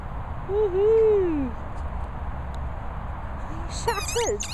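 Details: Airedale Terrier giving a single drawn-out, whistly squeak that rises slightly then slides downward over about a second, followed by short wavering squeaky notes mixed with a person's voice near the end.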